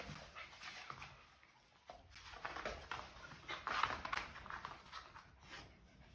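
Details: Miniature Dachshund indoors, soft whimpering and panting in short irregular bursts, with a brief thin whine near the middle; quiet room background.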